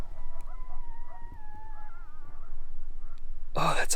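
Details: Coyote pack howling at night near Marion, Kansas, likened to screaming kids and a creepy sound; distant, wavering, high drawn-out tones sliding and quavering for about two and a half seconds over low rumbling background, then a sudden loud noise burst.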